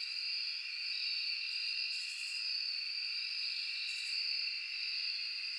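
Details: Crickets in a forest at night: a steady, unbroken high-pitched chorus of shrill, layered trilling that swells slightly in places, with no other clear sounds.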